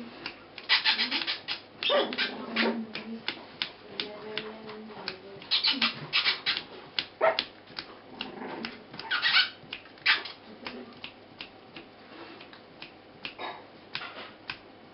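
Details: Four-week-old Border Terrier puppies, one bitch and three dogs, with their three-year-old mother; a busy run of high, squeaky yelps and short whines, some with sliding pitch, over scuffling and clicking movement.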